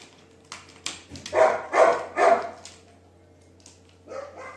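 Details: Labrador Retriever named Duke giving three quick loud barks in close succession, about half a second apart, with soft quieter sounds before and after.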